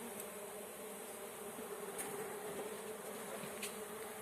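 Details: A honey bee swarm, caught by beekeepers, produces an unbroken mid-pitched droning hum that swells slightly, with a few faint high ticks over it.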